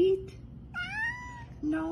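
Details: A heavyset domestic cat meows while a person says it just ate and it is not time to eat; one long meow rises then falls, with a short meow before and after it, and indoor speech around it.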